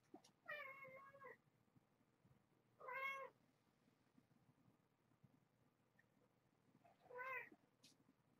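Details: Domestic cats, a mother and her five kittens born in November, waking in the morning as curtains are opened indoors; three short harmonic meows spaced a few seconds apart over a quiet room background.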